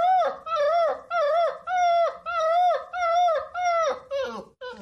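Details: Howling puppies give a run of short, rising-and-falling tonal howls, rich in harmonics, roughly every half second, the last few breaking up and wavering lower.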